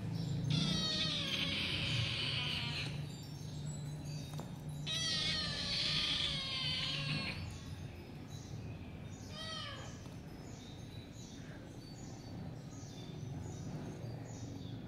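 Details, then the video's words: Cats fighting: two long, strained, wavering yowls, each lasting about two to three seconds with a pause between, then shorter rising wails, over a constant low hum and hiss. "best cat battle fight funny full video"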